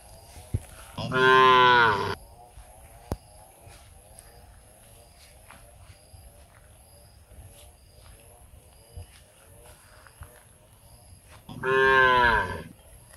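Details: A cow shaking its head gives two long, loud, harmonic-rich moos, each about a second and roughly ten seconds apart, calling other cows to eat together, over a faint steady hum.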